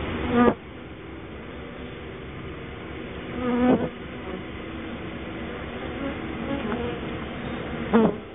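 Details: Honey bees tidying the hive after a sugar dusting against mites: continuous dense humming drone, with three short louder swells as bees pass close, near the start, middle and end.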